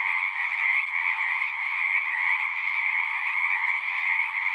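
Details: A short stretch of dense frog chorus: many croaking voices overlap into an unbroken, trilling drone, high and mid bands steady throughout, nothing else heard.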